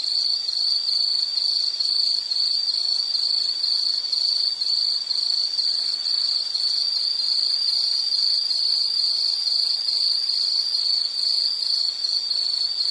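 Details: High-pitched insect trill running without pause, a fast, even pulsing on one shrill note, with fainter higher buzzing layers behind it and no other clear sounds.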